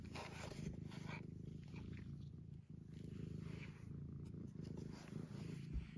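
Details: Sleepy domestic cat lying down indoors, purring steadily in a low, rapid rumble throughout, with faint background hiss and a soft human voice in places.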